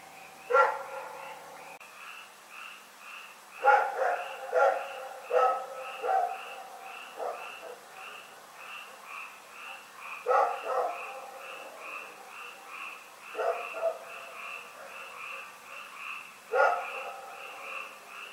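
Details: Rex, a dog, barking through the night in Pyrga on 27 February 2018: irregular runs of short barks, some in quick clusters, over a loud, continuous chorus of pulsing frog calls.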